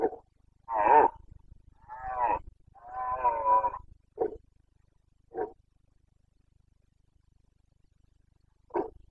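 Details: Carpathian red deer stag roaring during the September rut in the Bucovina mountains, Romania: a series of deep, hoarse bellows, three long drawn-out roars followed by short grunting barks spaced a second or more apart, over faint low hum.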